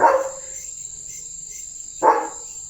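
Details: Leo the German Shepherd, a pet dog at play with a water mug in his mouth, lets out two short sharp barks about two seconds apart, with a thin constant high-pitched whine in the background.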